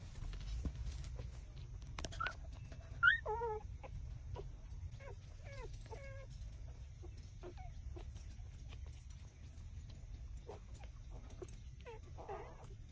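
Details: Puppies only six days old nursing at their mother's teats, trembling while they suck, let out a series of short, high, falling squeaks and whines, bunched around the middle of the clip, over constant low hum.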